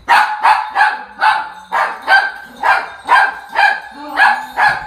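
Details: Toy poodle greeting its owner coming home at night, overjoyed: rapid, high yapping barks with whining, about ten sharp bursts in five seconds, steady and insistent, with soft whimpers between.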